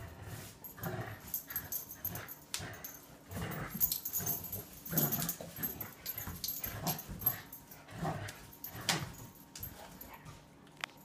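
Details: Female German Shepherd puppy, 13 weeks old and 20 pounds, in a tug of war over a toy with Annabel, an adult Labrador of over 60 pounds; low rough growls in uneven bursts mixed with scuffling and sharp clattering noises.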